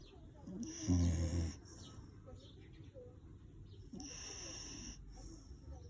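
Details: Dog snoring in its sleep: two harsh, throaty snores about three seconds apart, the first louder and rumbling, over a steady low background hum.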